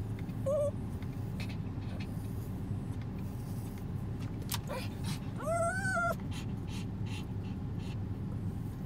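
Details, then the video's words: Female dog being tickled with chopsticks, giving a brief high whine near the start and then a longer rising-and-falling nasal whine with bright overtones about five and a half seconds in, over a steady low hum. "Tickling my dog with chopsticks while she whines"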